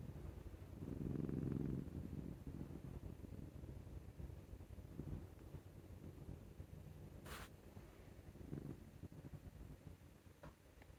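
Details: Affectionate male Scottish Fold cat snores like an old man while being scratched on the neck; a low, rough rumbling breath near the start and another softer one later, with a sharp click in between and quiet room noise.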